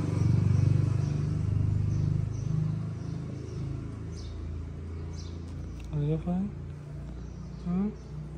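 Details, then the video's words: A homeless cat in Morocco, jealous and wanting attention, purrs loudly at first. Later come a few short, upward-sliding chirps, while a voice speaks softly and outdoor noise continues. "The tortoiseshell cat wants to get love just like the cute white cat."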